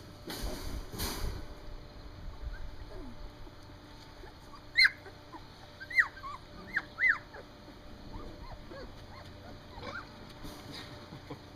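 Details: Standard Poodle puppies, three weeks old and on their first outing outside, let out thin, high squeaks: four bright rising-falling cries bunched together midway, with fainter whimpers and light rustling around them.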